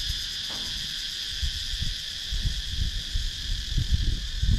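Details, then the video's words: Cicadas in Sakon Nakhon's wooded countryside, Thailand, give a persistent high whining drone while frequent low rumbling and rustling noise rises beneath it; recorded by GoPro Hero 9. "Cicadas Sound"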